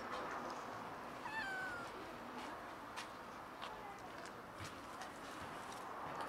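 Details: Tamed kitten or friendly cat giving one drawn-out, falling meow near the start, followed by soft clicks and rustling over steady outdoor background noise.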